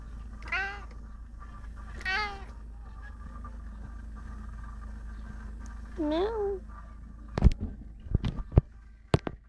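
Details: Female house cat that meows constantly, indoors: three drawn-out, wavering meows, two close together and one after a pause, followed by sharp thumps and clicks and a low background hum.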